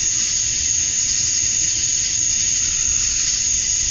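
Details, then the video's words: Summer-night cicadas at dusk in Georgia, USA, the males chirping to attract females, fill the air with a uniform shrill electric buzz that never pauses or changes pitch. "Cicadas at Dusk, Summer Night"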